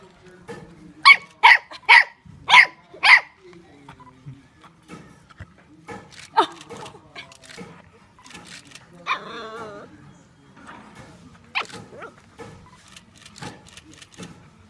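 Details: Mexican hairless dog playing with its puppy outside Oaxaca, Mexico: five loud sharp barks about every half second, then softer yips, a wavering whine and scattered yelps during play.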